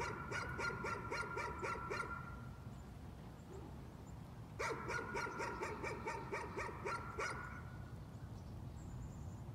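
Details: Nuisance barking from a dog: two fast, evenly spaced volleys of about seven and eight bright barks, the second after a pause of a few seconds, with low background hum throughout.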